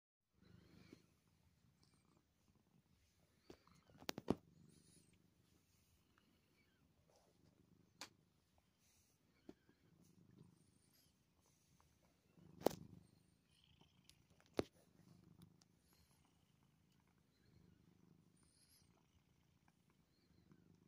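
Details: Tiger, a one-and-a-half-year-old male grey tabby cat, lounges on a lap, kneading and purring. A soft, low rumbling purr swells and fades in slow breathing cycles, broken by occasional sharp clicks and rustles.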